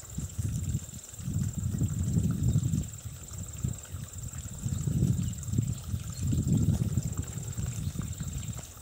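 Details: A feral wild boar in New Zealand forages beside a water hole, munching with deep, bursty chewing and rooting noises in uneven clusters.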